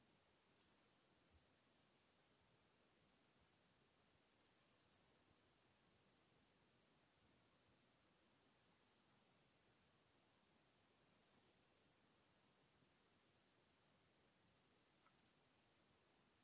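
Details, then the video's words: Marsh ground cricket (Pteronemobius heydenii) singing at Puntigam, Austria, on 4 June 2022, picked up with an ultrasound detector: four high, even trilled bursts of about one second each, separated by silent gaps of several seconds. "Pteronemobius heydenii -- Sumpfgrille"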